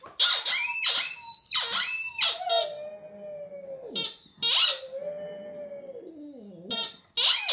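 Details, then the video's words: Border Terrier Hamish singing indoors: sustained mid-pitched howls that slide downward at their ends, broken up by sharp, high, squeaky bursts of sound. "Hamish Singing"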